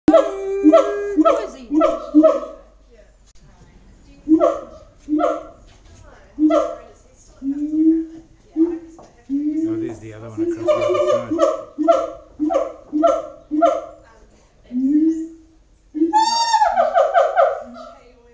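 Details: Siamangs at Auckland Zoo give loud, rich, booming barking hoots in quick series, ending with rising, whooping sweeps.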